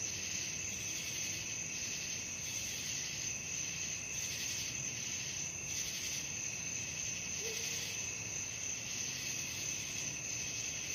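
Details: Crickets at night, offered as sleep-inducing relaxation sound: a continuous shrill, high chirring that swells in soft pulses about twice a second, with no other clear sounds.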